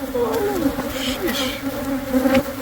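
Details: Honey bees from a hive inside the wall of a Catholic church building near a school in Monrovia, during removal: a steady droning hum with individual bees swooping past in rising and falling passes.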